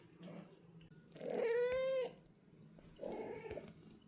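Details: British Shorthair cats in a cattery, a mother with two young golden kittens, calling in natural daily communication: a drawn-out, steady, harmonic meow lasting nearly a second, then a shorter, softer meow, in a quiet indoor room.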